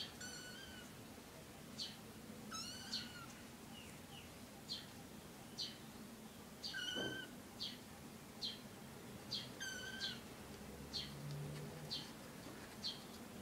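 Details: Three kittens with their mother cat: a run of high, thin mews at about one per second, several long with rich overtones and a slight rise then fall, plus one soft thump midway over low background hum.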